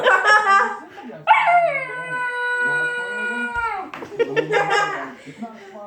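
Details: A 12-week-old puppy named Red singing indoors: a long, steady, high howl held for about two and a half seconds, rich in overtones, framed by shorter whimpering yelps and human voices before and after.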